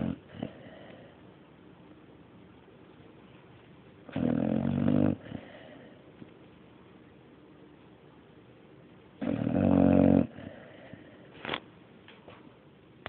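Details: Sleeping dog called Mario gives slow, regular snores: rumbling, throaty inhalations about every five seconds, each lasting around a second, with soft breath noise and a brief snort near the end.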